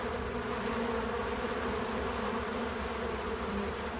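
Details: Several bees at work around a feeder produce an even, unbroken hum, a low droning buzz with faint wavering overtones that holds steady for the whole moment, with no music, speech or other animals.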